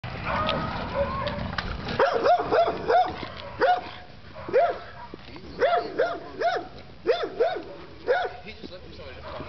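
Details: American bully pocket pitbull, UKC and ABKC registered, 31 months old, giving a series of about a dozen short, sharp barks in quick bursts after a man's speech at the start, with talking continuing faintly underneath.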